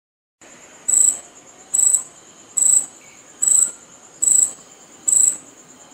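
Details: Cicada making sound by rubbing its wings together: a steady high thin hiss with six louder sharp buzzy bursts, repeated roughly every 0.8 seconds, and nothing else clearly heard.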